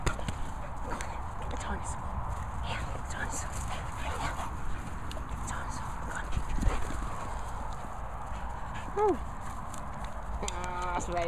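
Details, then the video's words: Two dogs, Labrador Barney and Chelsea, a Staffie cross, bark at sheep outdoors; a few short, harmonic yelping barks come near the end under steady heavy wind rumble and faint voices. "Labrador Barney & Chelsea Staffie X shouting at the sheep."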